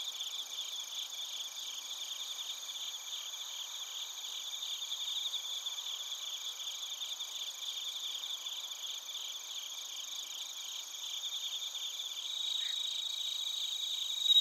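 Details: Crickets and bell crickets recorded in Narita, Chiba Prefecture, Japan, with a TASCAM Portacapture X8. A long, even stream of high pulsing chirps and ringing trills; near the end the chorus shifts and swells slightly louder.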